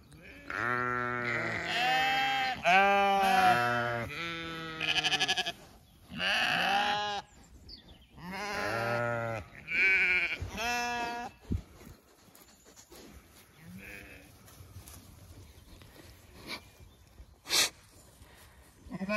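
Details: Zwartbles ewes on a County Kilkenny farm call so the flock spread across two fields comes galloping for evening feed; a run of loud overlapping bleats for about ten seconds, then quieter field sounds with scattered faint calls.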